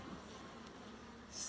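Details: Hive of honey bees opened for inspection of the brood box, producing a brief continuous low hum with faint overtones, and a soft hiss rising at the close.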